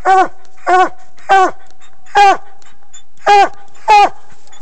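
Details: A pet coonhound gives six short, harmonic barks in under five seconds, each one dropping at the end, spaced roughly half a second to a second apart, over a faint steady hum.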